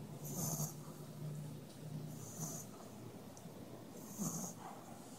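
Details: A French bulldog snores during a nap, each raspy, breathy snort coming roughly every two seconds.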